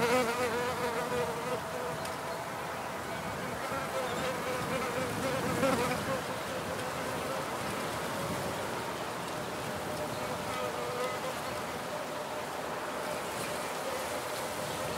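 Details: Wild bees in an outdoor field recording, giving a steady droning buzz with layered low harmonics that swell and fade as they move about, over a constant hiss of background ambience and faint distant noise.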